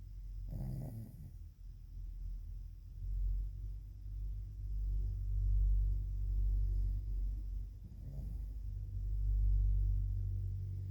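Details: A sleeping pet dog snores loudly indoors: a deep, steady low rumble with two louder, rasping snorts about seven seconds apart, near the start and toward the end, and no other sounds.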